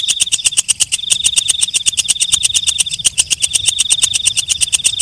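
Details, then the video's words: Night grasshopper (walang kecek) chirping: dense, fast ticks in a steady run, with a sharp continuous high-pitched ring behind them that breaks off briefly near the start. "Suara Walang Kecek/ Belalang Malam"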